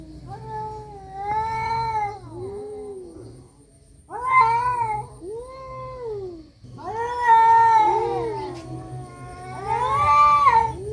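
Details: Fighting cats produce arching, moaning howls, each lasting one to two seconds, coming in four main bouts, with some wails bending upward into strained, tense cries.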